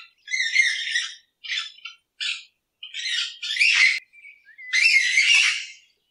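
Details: Raccoon at night giving rough, screechy squawks in uneven bursts, short ones and longer ones, with brief pauses between them.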